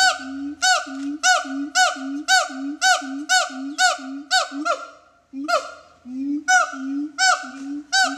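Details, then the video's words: A siamang at the Metro Zoo gives a rapid series of loud, honking barks, each starting with a sharp upward yelp. "Siamang Two"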